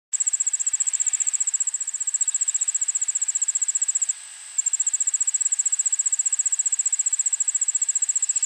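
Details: Allard's ground cricket singing in a suburban backyard in Montoursville, Pennsylvania, 1 pm on 9 August 2016, recorded with a shotgun microphone: a very high, fast, evenly pulsed trill, broken by one brief half-second pause, with faint steady background hiss.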